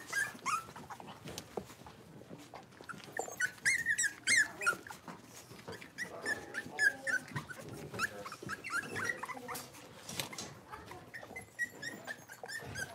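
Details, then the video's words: In an indoor pen, a litter of five blenheim Cavalier puppies play together, giving scattered thin squeaks and short yelps among constant scrabbling and rustling noise, calls quiet and irregular, some rising whines mid-way. "Cavalier Puppies Livestream: Playing, Barking, and Learning"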